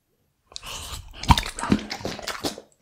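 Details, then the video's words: A Bull Terrier dog eating raw beef cuts indoors: about two seconds of wet, crunching bites and chewing, with several sharp bite snaps and squelches between quieter mouthing sounds. "ASMR Bull Terrier Reviews Raw Beef Cuts"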